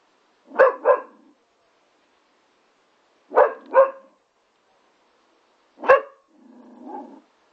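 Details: Lab x Staffordshire Bull Terrier puppy at play on a trampoline gives three barks, two of them doubled, spaced a few seconds apart, ending in a low soft grumbling whine.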